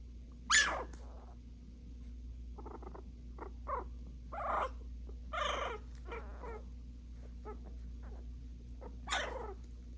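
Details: Puppies barking at each other: sharp broadband yaps scattered through the recording, with a loud one near the start, others at about four and five seconds and one near the end, over a steady low hum.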